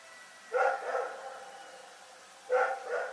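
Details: Rex, a dog barking in the night at Pyrga, gives two pairs of barks about two seconds apart; each pair is a loud harmonic bark followed by a slightly softer one.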